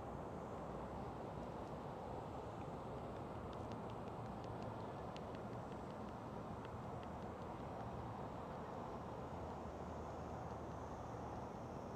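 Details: Broad outdoor rumble and hiss with faint scattered ticks, and no animal voice.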